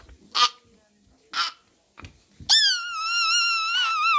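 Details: After two soft bumps and rustles, a puppy answers with one long, high, gently wavering howl that carries to the end.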